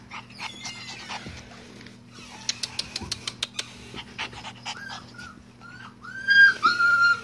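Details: Siberian Husky puppies at play: thin, high whines and squeaky yips that bend up and down. A quick run of sharp clicking taps comes midway, then louder drawn-out whimpers close the clip over a steady low hum.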